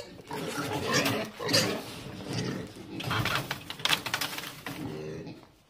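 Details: Pig being caught, loud, rough squealing and grunting screams in repeated bursts over a noisy, broadband background.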